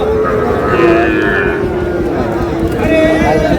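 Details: Sahiwal bull calf at a crowded Bangladeshi cattle market on 18 June, where a Noakhali farmer buys stock; a drawn-out, low moo with steady harmonic bands over constant buyers' chatter and bargaining voices.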